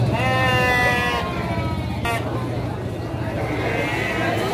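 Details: Garut sheep ewes at the Andir sheep and goat market in Garut, 5/4/2021: a loud wavering bleat with a shaky tremolo for about a second, then a short second bleat, over constant crowd talk and low engine rumble.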